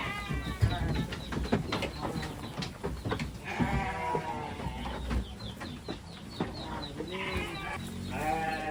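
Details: Kid, mother and father goats together: several brief nasal bleats, some wavering and some rising, overlap with frequent sharp knocks, clatter and rustling movement.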